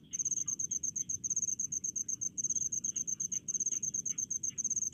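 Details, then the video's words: Crickets calling in rice fields, a dense, high, pulsing chirp repeated in rapid trains with brief gaps, steady throughout, over a soft low background hum. "SUARA JANGKRIK DI PESAWAHAN"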